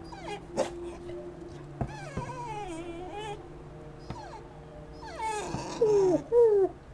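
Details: Corgi whining indoors, upset at an owl decoy in the window. Thin, wavering whimpers slide up and down, then swell into louder drawn-out rising-and-falling whines near the end.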